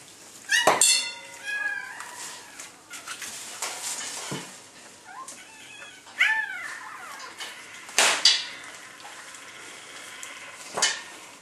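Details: Newborn red female Labrador Retriever puppy, last of a litter of eight, just born: short arched, rising-then-falling squeaks in bursts, with sharp clatters and rustling of the birthing box around them.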